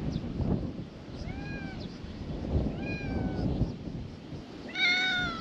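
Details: Small tortoiseshell stray cat being petted in a parking lot in Japan one morning, giving three short rising-then-falling meows, the last louder and fuller, over low rustling background noise.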